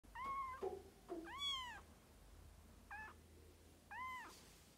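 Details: Birman kittens, three weeks old, giving high thin meows indoors: four separate arched, slightly rising-then-falling cries, each under a second, spaced about a second apart, with soft low background hum.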